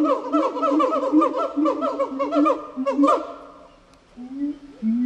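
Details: Gibbon vocalizing in a continuous stream of overlapping, wavering hoots and swooping notes, repeated rapidly over a steady lower droning tone, dipping briefly near the end before the calling resumes.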